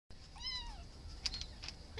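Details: Shelter cat giving a single short, faint, arching meow amid hissy room noise and a few clicks.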